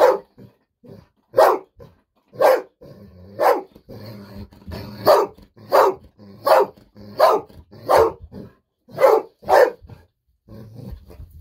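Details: Golden Retriever Bis keeps barking nonstop for treats, a pet dog that barked for nearly ten minutes; a long series of loud, sharp barks about once a second, with quieter low sounds in the gaps.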